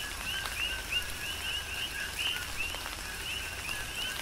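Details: Coqui frogs calling through a tropical rain shower on the Big Island of Hawaii: short rising high chirps, each a lower note followed by a higher upslurred one, overlap steadily, with a soft hiss of rain and scattered drop ticks.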